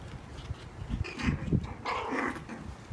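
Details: Four-week-old Cairn Terrier and Papillon mix puppies play-fighting: low rumbling growls build into a run of short, strained yelping yips, with scuffling in between.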